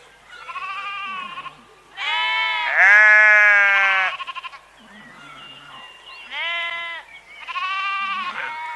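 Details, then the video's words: Sheep bleats in a series: a wavering opening call, a loud prolonged bleat around two to four seconds, softer grunts, then two more shorter nasal bleats toward the end. "Ovelhas - Som da Ovelha - Ovelha Berrando"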